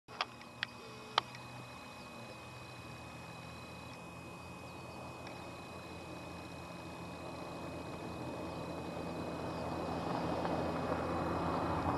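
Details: Steady broadband rumble like a passing vehicle, with a few sharp clicks at the start and faint steady tones, but no animal calls.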